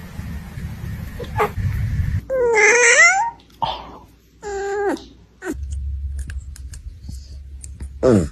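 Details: Sleepy puppies yawning: two drawn-out squeaky, whiny yawns with stacked tones that bend and slide downward, then a brief rising squeal at the end, set against low rumbling background noise.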